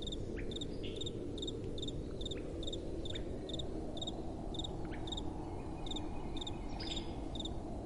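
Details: At night, crickets repeat brief pulsed chirps at a steady pace of about two per second, with occasional faint descending whistles and a constant low wind noise.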